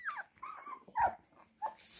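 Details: Siberian Husky puppies, one called Sultanchik, whimpering indoors: four short, high, falling whines spread across two seconds, with quiet rustling and handling noise between them.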